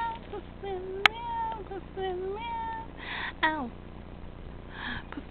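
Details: Pusslin, a tabby kitten, meows while playing: a run of short, high, tonal meows, some rising and some falling, spread over a few seconds, with a sharp click, a soft noisy burst and faint voices in between.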